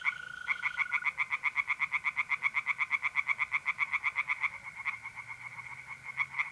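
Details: Rapid, evenly spaced pulsed croaks from tree frogs in a pond by night in mid-April, north-east Italy, roughly four pulses a second; a steady mole cricket trill sounds in the first second and other frogs call faintly behind.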